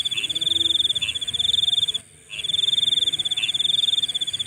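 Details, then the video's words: A nighttime insect keeps up a high, buzzing, finely pulsed trill that stops for a moment at about two seconds and resumes, with a thinner higher band above and scattered short chirps below it. "Nighttime Insect Sounds"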